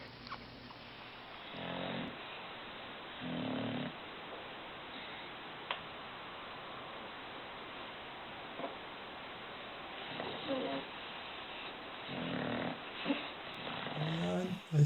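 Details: Bulldog snoring indoors: low, rasping snore bursts come in uneven pulses every couple of seconds, separated by quieter breathing. A sharp knock sounds near the end.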